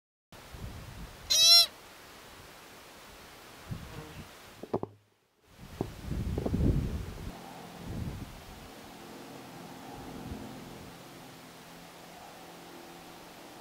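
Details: An American pika gives one short, sharp, nasal squeak, followed by low wind rumble and handling noise, in the lava fields of Craters of the Moon National Monument, where pikas shelter in broken lava and are most active at dawn and dusk in summer.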